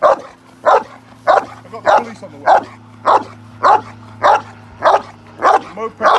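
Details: Repeated forceful barking by a male Cane Corso during protection training in London, UK, roughly ten barks at an even pace over a low steady hum in the background.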